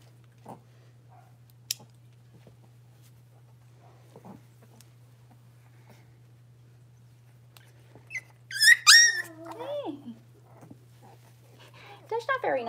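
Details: Blenheim Cavalier King Charles Spaniel puppies, six weeks old, one of a litter of five in an indoor home puppy pen: after near silence, a loud shrill yelping whine sweeps downward, then faint whimpers follow.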